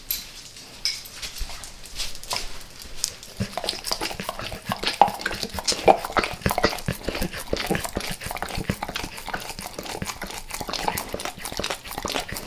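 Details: A dog named in the recording licks and devours natural peanut butter and peanut butter oil indoors; dense wet smacking and lapping clicks, rapid and continuous, growing busier after the first few seconds, with faint clinks in the background.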